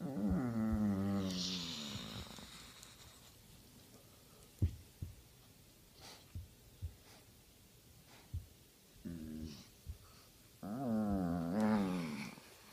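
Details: Henry, a Basset Hound being scratched on just the right spot, lets out long, wavering moans and groans at the start and again near the end. Between them come quiet snuffles and a few soft clicks in a small room.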